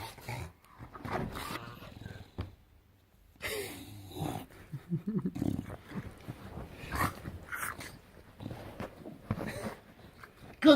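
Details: Enzo, a bulldog kept as a pet, grumbles and growls in a low, throaty way indoors. The sounds come in uneven bursts, broken by a short quiet gap, with brief human speech here and there.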